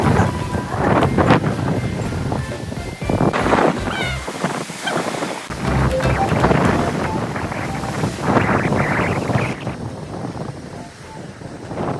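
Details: Bright background music plays over loud wind buffeting and surf-like rushing, with some voices mixed in and no animal sound.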